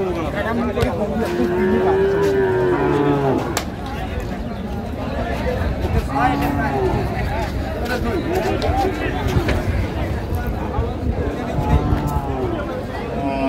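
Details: Cows for sale at Ambari cattle market, Dinajpur, on 11/4/25; one long, low, drawn-out moo rises and holds early on, while men bargain over prices and crowd chatter fills the background throughout.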